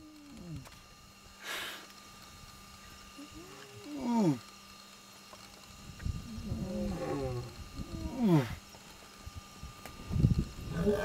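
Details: Lion calling in Zambia: a series of deep moaning grunts, each sliding downward and growing in strength over about eleven seconds, with a steady mechanical hum in the background.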